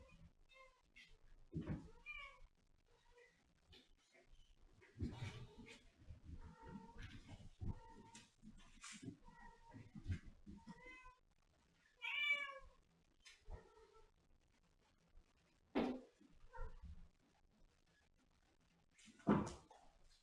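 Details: Domestic cat meowing indoors in a small room, several short harmonic meows scattered across the recording with quiet gaps between them, mixed with thumps and handling noises.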